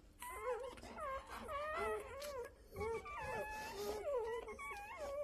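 A Rottweiler whines in high, wavering tones, each cry bending up and down and repeating.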